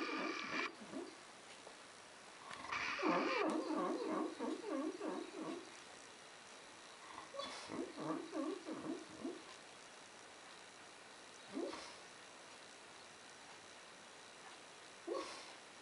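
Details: A big dog making funny noises while asleep, possibly dreaming: soft low whimpering, murmuring sounds in bursts, a cluster around three to five seconds, then scattered short whines and sniffs against quiet background.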